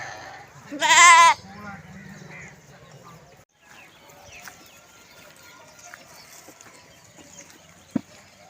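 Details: A lamb calling for its mother while foraging: one loud, trembling, vibrato bleat lasting under a second, followed by a quiet stretch with faint rustling and a single sharp knock.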